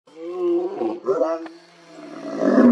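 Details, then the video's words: Male lion roaring with full force, deep harmonic roars that swell and drop over about a second, then a second burst and rising strain at the end; other males are present. "EPIC LION ROAR - This lion's roar was so intense, you can see steam coming out!"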